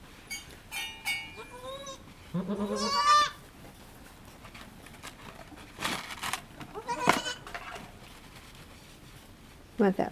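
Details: Needham Goat Farm goat, Halley Berry, delivering triplets, recorded as the second kid is born. Several short bleats are followed by a long, loud, tremulous bleat with strong vibrato. Broadband rustles and handling noises come later.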